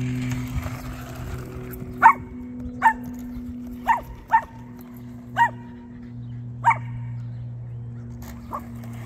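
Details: Cavalier King Charles Spaniel dog barking while chasing a car, with seven short, sharp barks spaced about one second apart over a steady low engine hum.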